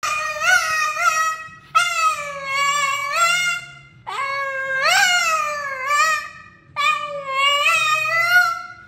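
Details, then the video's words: A very vocal pet Boston terrier 'singing' indoors: four long, tuneful howls, each rising then sliding down with rich harmonics, some wavering, separated by brief pauses, with a faint low hum in the background. "Singing Boston Terrier"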